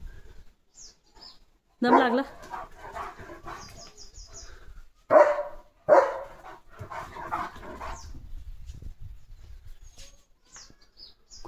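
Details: Leo, a German Shepherd dog, being given a bath at home, lets out three loud, sharp barks near two, five and six seconds, separated by quieter rustling and splashing, with people talking nearby.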